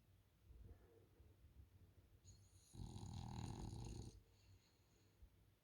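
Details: Sleeping French Bulldog on a couch: quiet breathing, then a loud, rough, low snore of about one and a half seconds with a hissing nasal edge, fading back to calm breaths.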